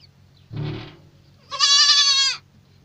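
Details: Young goat kids: a brief low, rough sound, then a loud, high, wavering bleat rich in overtones that lasts close to a second before stopping abruptly.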